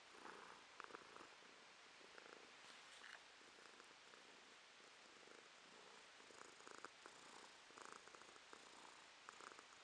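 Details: Pet cat Romashka purring, November 2022; gentle, breathy purr pulses at an even pace over a hissy background, quiet and continuous.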